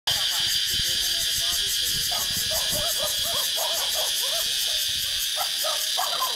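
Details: Many cicadas buzzing in trees in Vietnam, heard while walking beneath them: a dense, steady, high shrill drone with a fast pulsing texture at the top, over scattered short chirping notes lower down.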